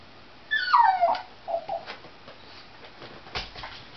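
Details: Pet dog stirred up by a cat outdoors: one short, falling whine and a couple of faint whimpers, then quiet.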